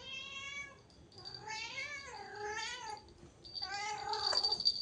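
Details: Cat giving three repeated meows in quick succession, each a long harmonic cry bending down and then up, with a steady high electronic whine in the room behind.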